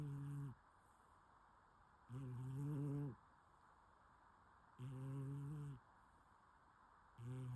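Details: A sleeping cat snoring: low, buzzy, harmonic snores, each about one second long, come back every two and a half to three seconds in a quiet room.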